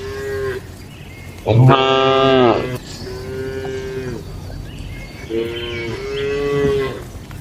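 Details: At night in a village cattle shed, a loud rich moo rises out of steady low lowing; several quieter drawn-out calls from other cows follow.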